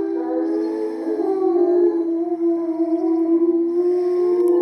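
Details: Timber wolves in a zoo enclosure howling together from a raised platform as a pack: several long, sustained, overlapping tones that waver and slide against one another in a steady, siren-like chorus, with no other clear sounds.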